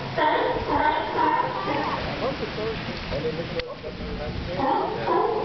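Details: Sea lions at Santa Cruz fill the air with overlapping hoarse barks and bleating calls from many animals, quieter for a moment midway before the chorus swells again.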